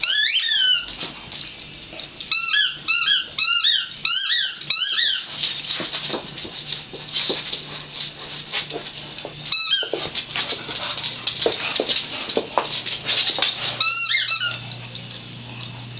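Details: Little dog playing with a big dog indoors, ducking under a chair; bursts of high squeaky falling yelps in quick runs, then scattered squeaks, with a steady low hum in the room.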